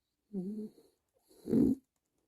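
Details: A French Bulldog snores while relaxing, giving two short breaths about a second apart. The first is a soft, wavering, nasal rasp; the second is a louder, throatier snort.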